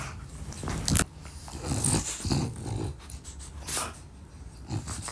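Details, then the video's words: French Bulldog at playtime indoors with toys from a Merry Medley pack, giving short low rumbling growls in bursts about once a second, mixed with snuffling breaths and rustling, chewing play noises. "French Bulldog ASMR: Playtime"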